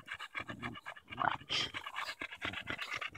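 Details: Daisy the Bulldog panting hard on a July 2014 walk in Erindale Park while battling a fallen branch: fast, breathy huffs in a steady stream, with a brief snuffle near the middle.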